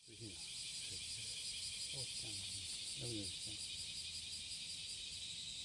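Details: A cicada's courtship song on a July 30, 2017 morning: a steady, high, hissing buzz droning on without a break, with low voices speaking in the first seconds.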